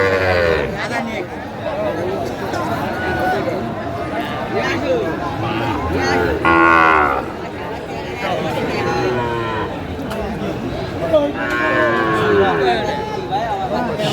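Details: At a cattle market on 15 January 2025, Sahiwal bull calves moo in long, wavering lowing calls, heard amid busy market chatter and bargaining voices.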